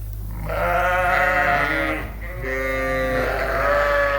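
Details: Suffolk lambs mixed into one big group in a barn, around 8:00 at night: a chain of quavering bleats from several animals, almost continuous, with a constant low humming drone beneath.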